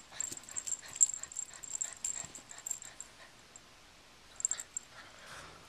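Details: Pet dog Honey growls and whines while playing tug with a pull toy indoors; rapid strained growling bursts with high jingling in the first three seconds, then quieter snuffling sounds.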